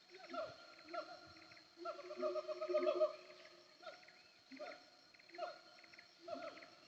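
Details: Wild siamang calling from the Bukit Kalowan hills between Nagari Paru and Nagari Durian Gadang, heard while travelling from Aie Amo to Sumpur Kudus: repeated harmonic, downward-sliding hoots about every second, a louder ringing bout in the middle, steady insect whine.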